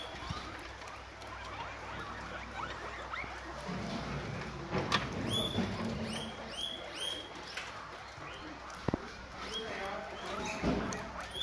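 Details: Guinea pigs eating guava in the morning; loud crunching and rustling of feeding fill the first half, then a quick run of repeated high upswept squeals, several per second, before the chewing returns.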